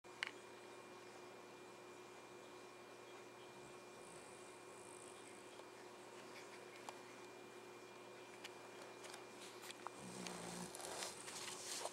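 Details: Quiet indoor room tone with a steady low hum and a faint fan-like hiss, a few small clicks and a brief rise in broadband noise near the end.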